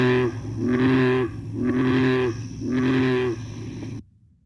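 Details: American bullfrog, North America's largest frog, giving deep, resonant droning calls, each about a second long, repeated in a slow series.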